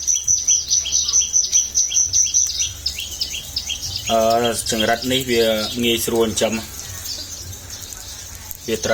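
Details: Farmed crickets raised at home in Cambodia as breeding stock, fed on vegetables and grass, near egg-laying: a high, thin, rapidly pulsed chirping repeated in quick bursts for about three seconds, followed by a man talking and faint background music.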